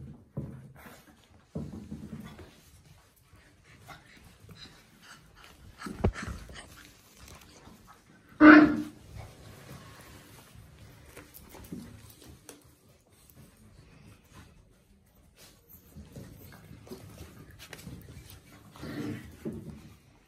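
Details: Five-week-old Labrador Retriever puppies, born on Christmas Day at a Scottish kennel, playing indoors; soft scattered whimpers and panting with a sharper yelp near the middle, otherwise quiet with faint shuffling.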